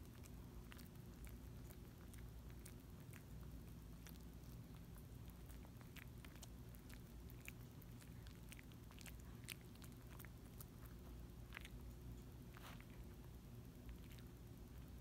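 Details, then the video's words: Tiny dog working on a Dentastix stick, chewing and licking; dense crackly bites and snaps, busiest toward the end, above a constant low hum in a quiet room. "quiet smol dog chewing licking dentistick dentistix"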